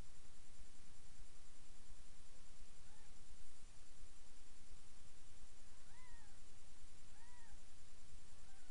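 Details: Domestic cat household: mother Miss Kitty nursing her seven kittens, almost three days old, in a new box indoors; a few faint, thin arching mews around the middle and end, over a steady hiss of room noise.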